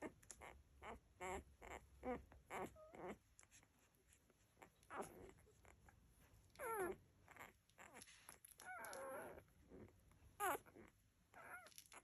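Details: Labrador Retriever puppies nursing, giving short high whimpers and squeals with wavering, bending pitch, in scattered bursts, some rising then falling, with faint suckling noises between calls.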